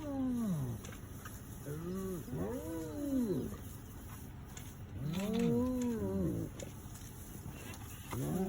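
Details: Hyena howling in Kruger on safari: a series of arched, rising-then-falling whoops, each about a second long and repeated every one to two seconds, with low rumbling background.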